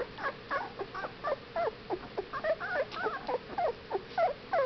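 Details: Whippet puppies at 15 days old give wobbling, squeaky whines, each cry twisting up and down in pitch, packed closely together at roughly three per second from several pups at once.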